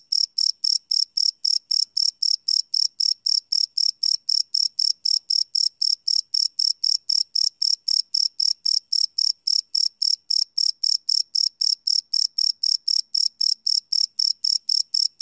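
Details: Night chorus of crickets captured live with a Sony PCM D100 recorder, no loops: bright high-pitched chirps pulsing evenly about four times a second, unbroken throughout, nothing else audible.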